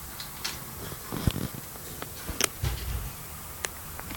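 A Pekingese snores in low, soft rumbles, with faint clicks and small noises around it.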